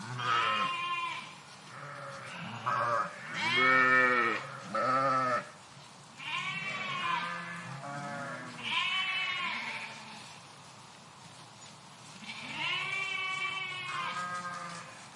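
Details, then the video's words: Sheep flocking in a park, a steady chorus of bleats from many animals, short deep calls alternating with higher wavering ones, loudest bursts early on and again near the end. "Flock of Sheep in Park"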